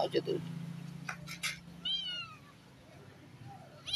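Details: Twin kittens from different mothers: one short harmonic meow, arching slightly in pitch, about halfway through, after brief clatter and voices, over a steady low hum.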